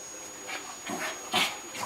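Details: A Cairn Terrier, just after a bath, gives a few short, high, breathy yips and whimpers in quick succession.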